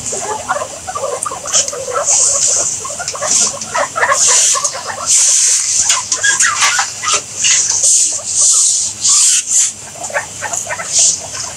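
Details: Guinea pigs making rapid, high, thin squeaks and chirps, bunched in bursts with short gaps, with faint scratchy rustling between them.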